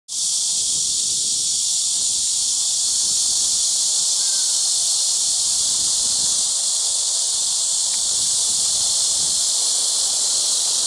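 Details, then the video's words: Cricket insects calling at Eulsukdo bird sanctuary in Busan, South Korea, on 30 August 2018: a loud, unbroken high-pitched buzzing drone that holds steady from start to finish, with no pauses or other clear sounds. "Cricket insect"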